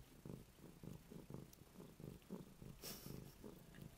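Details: Female cat purring while cleaning her own bed: steady low rhythmic purr in pulses about every quarter second, with a brief rustle near the end.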